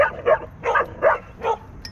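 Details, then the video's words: Dogs at a dog park where a territorial pit bull attacks a Belgian Malinois: five sharp, mid-pitched barks in quick succession, roughly one every 0.4 seconds, with no other clear sound. "Territorial Pit Bull Attacks Belgian Malinois At Dog Park TWICE"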